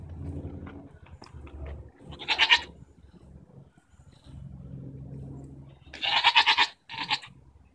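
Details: Goats arguing, recorded June 24, 2014: two loud, harsh, wavering bleats, one short and one longer with a brief follow-up cry, separated by a quiet stretch with a low background hum.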